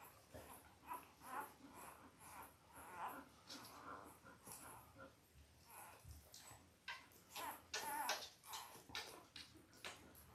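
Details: Five-day-old Labrador Retriever puppies from a litter of five males and three females, indoors: many soft overlapping whimpers and squeaks with snuffling and rustling throughout.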